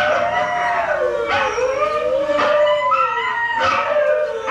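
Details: Dog named Hailey howling to husky videos, a continuous wavering howl that dips and climbs smoothly, with other higher howls overlapping and brief noisy accents.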